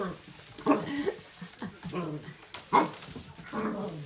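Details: A young corgi puppy, two weeks with her owner in March 2020, gives short, high yapping barks in bursts at a Swiffer WetJet floor mop she dislikes, with a person speaking nearby.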